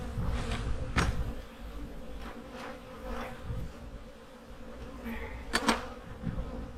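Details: Autumn honey bee hives readied for winter, giving a low continuous hum with steady tonal bands underneath, interrupted by sharp knocks near the start and again late in the recording.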